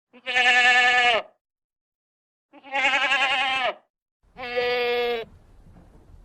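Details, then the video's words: Goat giving three loud, wavering bleats, each about a second long and separated by clear silences, the last followed by faint rustling. "sound of a goat, voice of a goat, how a goat says"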